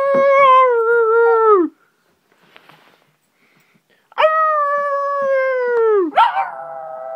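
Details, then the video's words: A Shih Tzu puppy greeting its owner arriving home gives two long, sustained howls that sag in pitch at their ends. "Amazing Howling Little Shih Tzu Puppy Dog"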